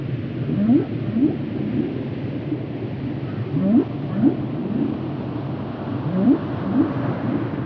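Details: Whale song in a relaxation recording: short rising swoops repeated in pairs roughly every second or two, over a steady low underwater rumble.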